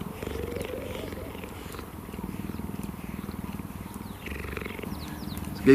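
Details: A male cheetah at Cheetah Experience, South Africa, purrs steadily in a deep, rhythmic rumble pulsing several times a second. He is greeting a familiar person lying down beside him during a reunion.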